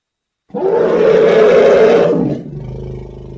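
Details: A single loud elephant roar lasting about two seconds, a strained, harmonic bellow that ends abruptly and leaves a faint low hum.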